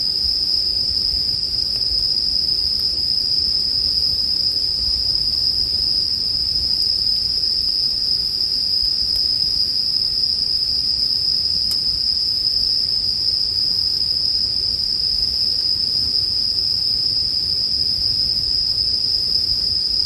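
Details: A constant bright trill from bell crickets fills the whole stretch, unvarying in pitch and loudness, with a handful of faint crackling clicks from a campfire.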